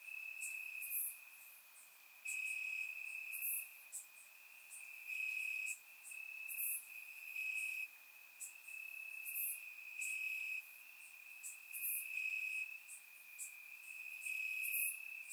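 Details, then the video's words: Warm summer night in Bulgaria with crickets chirping in the grass, recorded in surround sound; a ringing high trill pulses in loud stretches of one to two seconds, accompanied by repeated quick shrill higher bursts. "Cricket Sounds - Crickets Chirping at Night"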